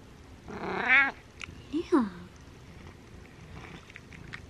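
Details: Butters, a male pet cat, meowing just before eating, said to be saying thank you: one drawn-out, richly harmonic meow of about half a second, then a short two-part chirping call, in a quiet indoor room.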